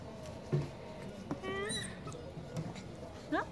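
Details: Four-week-old Goldendoodle puppies at play indoors: a thin, high, rising whine with bright overtones, then a short upward squeak near the end, with soft thumps and a person's quiet voice in between.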